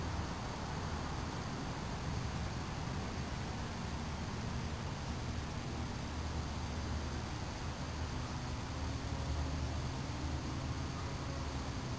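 Steady low rumbling noise, like wind or distant engines, with no animal calls audible.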